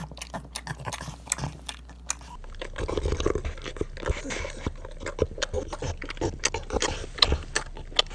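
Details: Niko, a female pug, devours her ground beef breakfast with loud wet chewing, smacking and snorting grunts in quick irregular bursts, the sound shifting abruptly after about two seconds, recorded on an iPhone 7.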